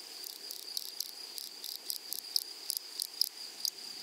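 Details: Grasshoppers in a flowery meadow: short, buzzy, high-pitched pulses repeat roughly every third of a second over a steady thin high whine from other insects, with soft chirps scattered through it and no other sounds.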